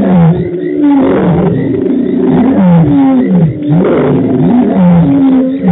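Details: Lions roar together at Djuma Game Reserve on 24 March 2018, in deep, overlapping moans that swell and fall in long rolling waves.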